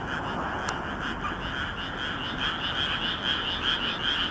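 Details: Many frogs calling together at night in a Nagoya rice paddy, Japan, moon reflected on the water, 13 May 2016; rapid overlapping croaks pulse continuously, with a brief click near the start.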